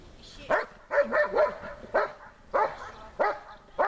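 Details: German Shepherd Besser barking at the helper during a complicated protection-training exercise, giving loud, rough barks in an uneven rhythm, some doubled in quick succession, with brief gaps between bursts.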